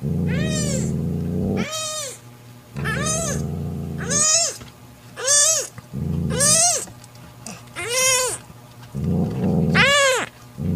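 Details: Low, rumbling growls come from mother cat Mocha as she warns off her jealous sister Kofi, who covets the newborn kitten. Loud arched meows alternate with the growls roughly every second.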